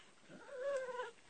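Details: Puppy or mother dog indoors, a single drawn-out whine gliding around a steady mid pitch over faint room hiss, quiet and nasal with a soft ending.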